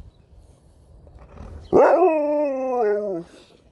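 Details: One of two pet dogs, a Husky and a Malamute, contesting a chicken ball: a single sustained, slightly falling howl-like whine holds for about one and a half seconds with a small wobble near the end, over low room noise.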